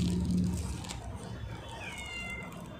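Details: A pet cat gives one short, thin meow late in the moment, a bending tone that holds briefly and then fades, over steady low rumble with a person talking softly just before.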